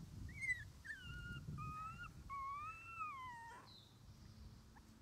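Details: Twenty-one-day-old red Shiba Inu male puppy on its first day playing outside with its mother: a series of drawn-out, gently rising and falling whines, the longest arching up then sliding down, over low background rumble.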